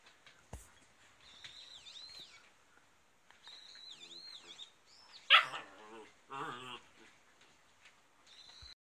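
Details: Rough Collie puppy, 69 days old, playing indoors with its mother on a rainy day: high wavering whines and squeals, then a burst of rough yaps and growly barks, with thumps and rustles of play.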